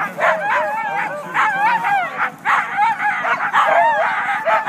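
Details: Team of Siberian huskies, the day's first sled dog team, waiting at the start of the Siskiyou County races north of Weed, California, Klamath National Forest, February 9; many dogs bark, yip and whine together in a dense, overlapping, excited chorus.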